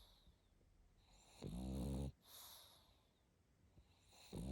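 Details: Pug snoring while asleep. One loud, throaty snore of under a second with a low rattling buzz and breathy hiss, a soft exhale after it, and the next snore beginning at the end.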